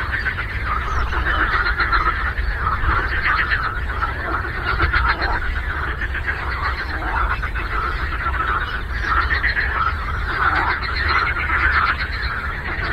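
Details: Frogs croak in a large chorus on a lake, rapid rattling pulses merging into an unbroken buzzing mass that rises and falls gently, with steady low-pitched background noise.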